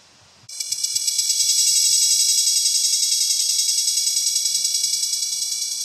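A cicada starts up abruptly into a loud, high, shrill buzz that pulses a few times a second.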